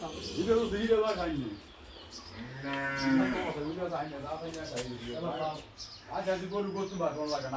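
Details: Giant cows mooing with drawn-out, wavering lows and several shorter bellows, mixed with men's voices urging the animals along and calling out in Bengali.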